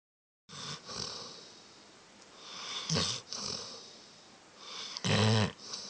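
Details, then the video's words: Dog snoring loudly, recorded on an Android phone: rough, breathy snores come at roughly one-second, three-second and five-second marks, the last one strongest and buzzy, with a steady hiss between breaths. "Dog snoring loud"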